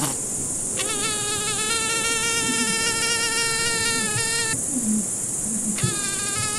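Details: Droning fly buzz that begins sharply, holds a steady wavering hum for nearly four seconds, stops, then starts again near the end, over constant high hiss.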